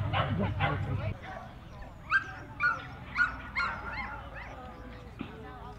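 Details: Jack Russell Terrier at The Jack Russell Terrier Club of NSW Speciality Show, Dogs NSW Showgrounds, Orchard Hills, 15 October 2015; a run of four sharp, short yips about half a second apart, over a steady hum of crowd talk.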